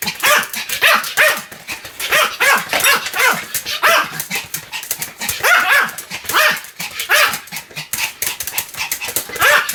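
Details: Sam, a Pomeranian, barks nonstop: a dense, steady run of shrill, clipped yaps in quick succession across the whole stretch, with barely a pause.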